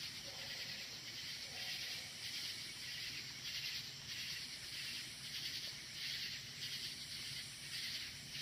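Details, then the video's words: Loud night chorus of crickets in woods outdoors: a thick, shimmering high-pitched trill that throbs in soft regular pulses, almost continuous, over a low murmur of background noise. "Crickets Keeping Me Awake"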